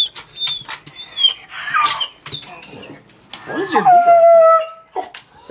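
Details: A female beagle mix, about 2 years old and recently adopted from a shelter, howls when stressed after a family member left the house. Drawn-out, wavering tones slide downward, with a person talking in the background.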